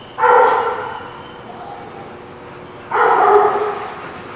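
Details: Dog barking, recorded 23 September 2017: two loud, sharp barks about two and a half seconds apart, each ringing briefly, over a steady background hiss.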